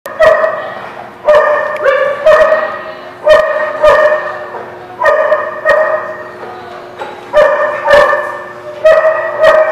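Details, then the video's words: Dogs at The Barking Lot, recorded 11 September 2017, barking loudly and repeatedly, sharp harmonic barks coming in clusters every second or so with little pause, several animals overlapping. "The Barking Lot"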